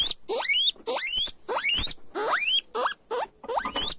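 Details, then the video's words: Guinea pigs chillando fuerte, a run of piercing rising squeals; each note sweeps sharply upward into a high whistle, about seven calls spaced unevenly at under a second apart. "Sonido de Cuy Chillando fuerte"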